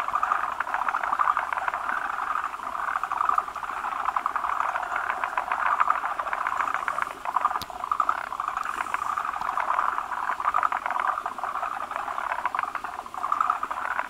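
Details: Breeding gathering of forest green tree frogs, many males massed around a large female with eggs that lays foam-like egg clumps; a long, unbroken carpet of pulsed, knocking croaks and one brief sharp tap midway.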